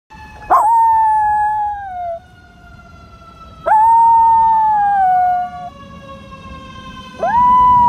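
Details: A female Miniature Schnauzer gives long, drawn-out howls after hearing a fire truck, answering its siren.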